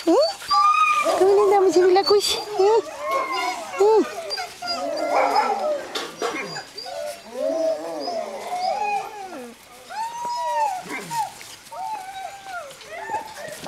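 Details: Several seven-week-old Greenland Dog puppies, three litters sharing playtime in a kennel farmyard in June, give a steady tangle of wavering whines, yelps and drawn-out howl-like cries, many pups calling at once.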